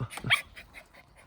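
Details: Puppies of a small mixed-breed mother at a grandmother's home in Seongsu-ri, Hongcheon County, Gangwon Province, born January 2021, three surviving, enjoying spring; a sharp high-pitched yip, then softer faint whimpers trailing off.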